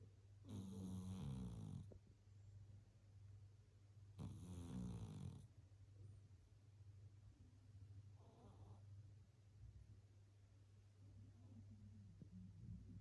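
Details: Meyvoş the cat snoring while asleep: two long, rasping snores with a rattling texture, about four seconds apart, then fainter breaths, over a steady low electrical hum.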